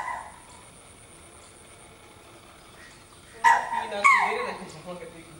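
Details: A pet deer kept in a zoo gives a couple of short, high, nasal bleats that slide downward after a quiet start.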